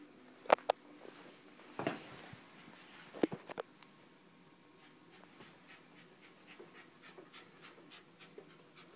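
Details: West Highland White Terrier named Nitaro: a few sharp clicks and a breathy burst early on, then soft, quick breaths repeated in a loose rhythm, faint and close in a quiet indoor room.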